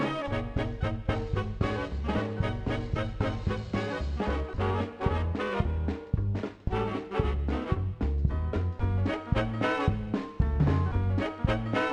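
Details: Lively swing music with brass and a bouncing bass plays throughout, and no animal sounds are heard.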